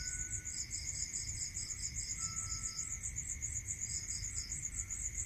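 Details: In a rural area at night, crickets keep up a high, rapid pulsing chirr, while a lower trill comes in short bead-like runs of about a second; a thin continuous tone and dull low noise sit underneath.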